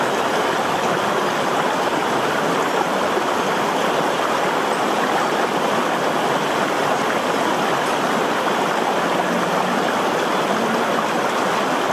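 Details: Steady, dense rushing of a stream or waterfall fills the whole stretch, with no animal voice heard above it.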